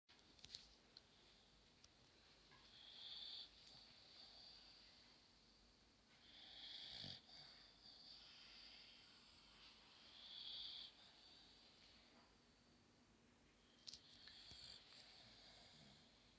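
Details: Female Boxer dog asleep with her tongue hanging out, snoring softly: breathy, hissing snores recurring roughly every three to four seconds in a quiet indoor room.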